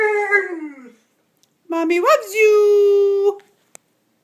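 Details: Bernese Mountain Dog Hansel, 15 months old, talking back to his owner indoors. A falling moan, a pause, then a long howl that bends upward and holds a steady pitch before stopping, followed by a faint click.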